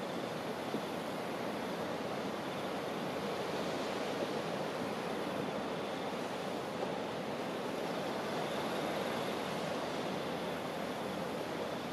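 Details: Steady broadband surf and wind noise throughout, with no animal calls standing out.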